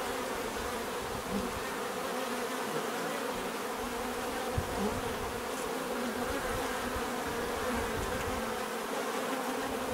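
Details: Natural bee buzzing as a continuous swarm-like hum, layered low drones with faint shifting pitches of individual bees and an occasional soft tick, steady level over ten seconds.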